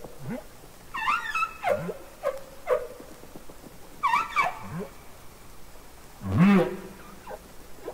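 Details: Underwater humpback whale singing from Capitol Records ST-620: a string of short, quick units, with high downward-sliding squeals, brief chirps and one low, rising whoop near the end, in an irregular rhythm.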